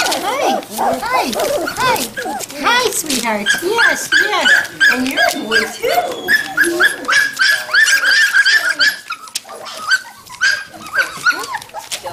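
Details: A chorus of overlapping arched whines and yips from Standard Poodle puppies, three and five weeks old, at Red Royal Standards near Columbia Falls, Montana, in November 2013. Soft human speech greeting the pups runs throughout.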